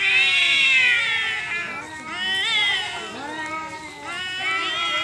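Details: Two confronting cats exchange moaning yowls: a loud sustained wail sliding downward, then softer arched cries and a rising, strained howl closing the exchange.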